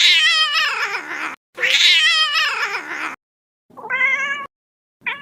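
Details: Little kitten meowing: two long, wavering, strained meows run almost back to back, then a shorter, cleaner meow and the start of another, all bright and high with rich overtones.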